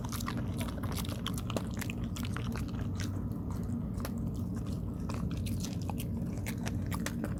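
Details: A dog munches on rice cake: dense, continuous wet chewing and crisp bites close to the microphone, with a steady low-frequency background hum indoors.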